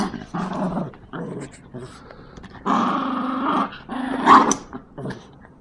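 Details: Jax and Brando, two Yorkshire Terriers, growl during tug of war with a series of rasping bursts of uneven length, the loudest near the middle and end, with faint music and voices.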